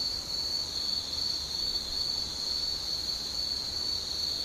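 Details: Insects calling at evening in Shika Town on the Noto Peninsula, Ishikawa, Japan: a steady, unbroken high-pitched ringing trill that holds one even tone throughout, with no other clear sounds.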